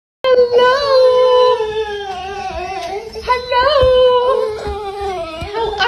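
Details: Female golden retriever happy-crying with excitement at seeing her owner: a high, drawn-out whine held steady, then bending up and down in several wavering, overlapping whimpers indoors.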